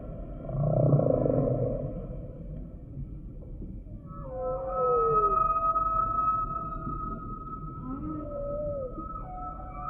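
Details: Humpback whale song, opening with a deep rumbling moan. After a quiet gap come rising whoops and long, held high wails that bend and slide, layered over a sustained tonal hum.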